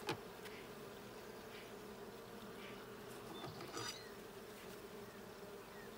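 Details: Steady droning hum of many honey bees at a blue hive during a hive check in June 2022, with occasional brief louder bee passes and a soft knock near the start.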